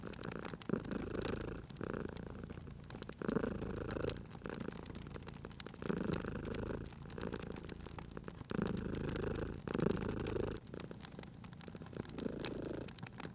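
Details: Sleeping cat purring by a crackling fire indoors, a steady low rumble pulsing in long breath cycles of roughly one to two seconds, overlaid by frequent snapping, popping fire crackles.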